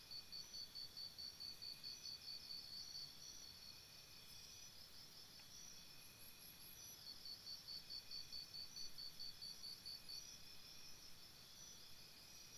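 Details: Campsite crickets at night: regular bursts of high, ringing pulsed chirps, loud for the first three seconds, softer through the middle, then strong again from seven seconds, with a distant higher insect shimmer and low hiss.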